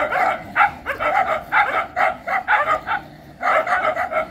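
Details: Dog bark bursts coming roughly once a second, rasping and uneven, with a brief quiet gap before a final flurry of yapping.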